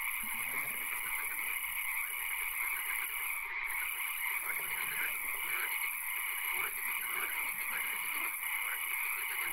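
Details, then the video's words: Frogs in a swamp at night with occasional rain: a thick chorus of pulsed trills and repeated piping notes, with a soft low rumble and patter underneath. "Frog Calls, Swamp Sounds and Occasional Rain"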